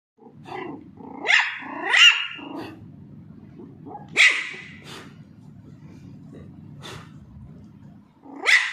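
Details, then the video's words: Pomeranian (Indian spitz) puppy barking while playing with a ball and being teased; sharp, high-pitched yappy barks, about four in all, two close together early, then spaced out, over a low steady background hum. "Pomeranian puppy barking"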